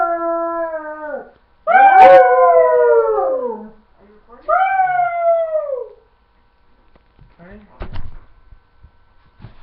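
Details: Dog howling after its owner's command: three falling howls, the last shorter, followed by quiet shuffling and clicks.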